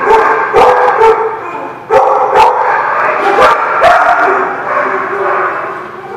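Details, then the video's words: Dogs barking on October 14, 2017: loud, harsh barks in quick irregular bursts, roughly two per second at first, then one or two more spaced barks, over a continuous background din of more barking and murmuring. "The Barking Lot"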